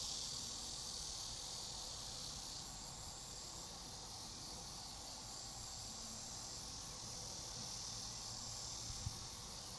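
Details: Chorus of grass insects in a peaceful outdoor background: continuous high, shrill trilling with rapid pulses and a thin, steady whistle-like tone weaving in and out above it, plus faint low rumble.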